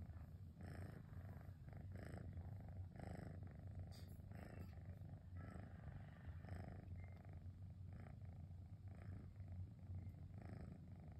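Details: Domestic cat named Cosmos purring on a relaxing rainy afternoon, a deep motor-like rumble pulsing steadily in the low range throughout, with faint background hiss.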